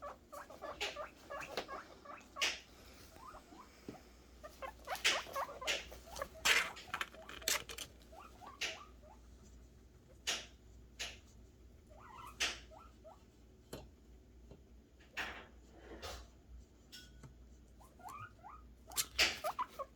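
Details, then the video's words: Guinea pig boars excited about food, giving scattered short squeaky calls among frequent loud clattering, tapping and rustling noises, with the squeaks in brief clusters between the knocks. "guineapig boars making happy noises for food"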